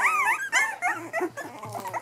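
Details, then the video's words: Three-week-old Cavachon puppies giving a run of rising and falling whiny squeals, several overlapping, each lasting a fraction of a second. "Cavachon puppies"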